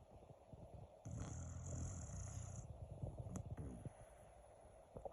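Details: Pet dog in Japan in a deep sleep, snoring while being stroked. A low, rumbling snore lasts about two seconds, with a thin high whine above it and soft rustling around it.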